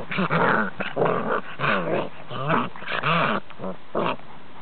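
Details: Five-week-old Cane Corso puppies with their mother; a string of harmonic, wavering growls and whiny yips in bursts of about half a second, close and indoors.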